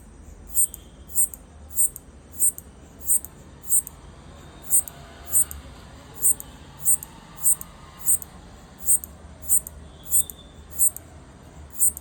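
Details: Locust recorded on an iPhone, clicking while trying to communicate with its partner: sharp, high, dry clicks repeated roughly every two-thirds of a second, about eighteen in all with a short pause early on, over a low background hum.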